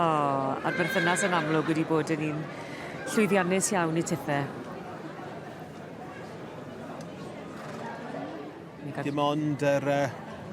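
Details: Welsh Cob yearling, filly or gelding, giving loud quavering whinnies that waver and fall in pitch, one long call near the start, another shaky burst soon after and a shorter one near the end, with people talking in the background.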